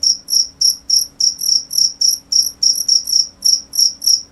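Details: Cricket chirping in loud, high-pitched pulsed bursts, about fourteen evenly spaced chirps over four seconds, each a bright trill with a fainter higher overtone; quiet background.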